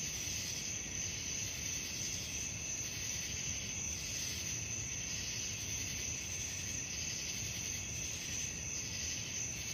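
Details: Crickets at night keep up a sustained high whine and layered rapid pulsing trills, steady in loudness, accompanied by a continuous low background drone.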